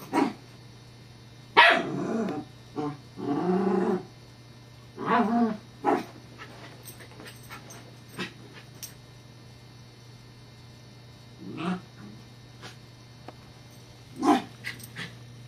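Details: Evangeline, a Scottish Terrier, plays with a teething pacifier whose disc rolls away. A cluster of short barks and growly grumbles comes in the first six seconds, then scattered softer yips and one louder bark late on, with a low hum throughout.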